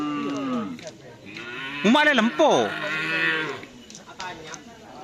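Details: Cattle moo during karapan sapi bull race training, a low harmonic call rising then sliding down over about a second, with people talking and crowd noise around it.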